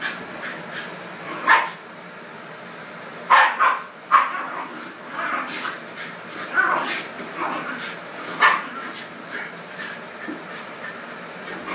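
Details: Two Shiba Inu dogs fight indoors for control of a red couch, giving sharp, irregular barks and yips in clusters, several in quick succession around the middle, with quieter grumbling between.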